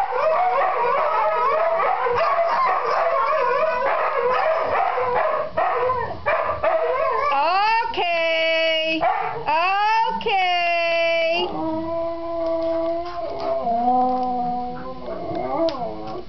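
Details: Three Siberian huskies howling together, each trying to outdo the others: a dense, overlapping chorus of yips and wails at first, then long clear howls that slide upward and hold steady, with lower voices joining beneath.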